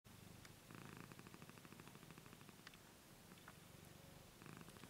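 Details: Purring of a 15-year-old domestic cat, a steady low rumbling pulse in long stretches with faint brief clicks and rustles between breaths.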